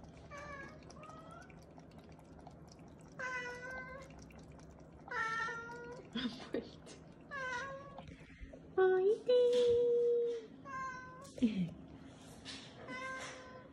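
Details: Weak, fading kittens found huddled together and leaning on each other on a roadside after a family funeral. Repeated high, harmonic meows arrive in uneven bursts, about two a second, with one long, steady, drawn-out cry near the end. A quiet indoor room sits underneath.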